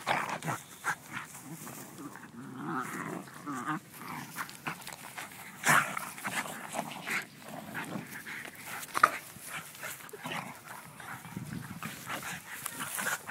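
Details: Playful wrestling match between a schnauzer and a beagle: repeated snarling growls and huffing breaths come in short, irregular bursts, with occasional louder snaps and rustling scuffles.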